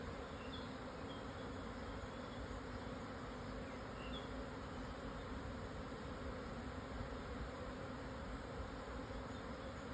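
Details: A swarm of Japanese honey bees relocating, 1054 m up near Hokuto, Yamanashi, Japan, noon on 17 June 2024 once strong wind eased; an even, dense buzzing drone holds steady, with a couple of faint high chirps early on.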